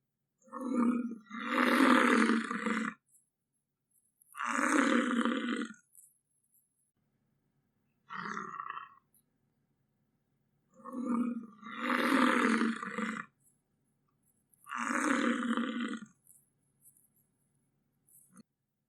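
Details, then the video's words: American bison roaring: five rough, raspy, breathy bursts, some broken into double pulses, each one to three seconds long, spaced irregularly with short silences and a faint low hum between them. "American bison sound - buffalo sound effect"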